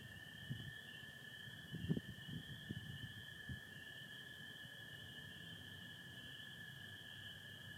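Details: Spring peepers calling in a dense night chorus in Michigan, with American toads, under stars and some overcast in spring. The peepers form a steady high shrill band, a lower continuous toad trill runs beneath, and a few low thumps come early.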